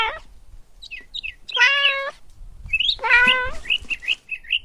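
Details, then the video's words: Kittens stalking and chasing butterflies on the grass, giving two drawn-out, bright meows with rich overtones, separated by short thin chirpy squeaks and soft rustling. "Adorable Kittens Stalking and Chasing Butterflies on the Grass – Meowing Sounds"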